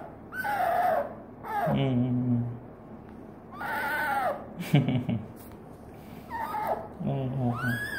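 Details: Hesoten, a female pet fennec fox, calls sweetly to her owner indoors: high whining cries with bending tones, a lower hoarse wavering note between them, in three bursts across eight seconds, alongside soft human voice.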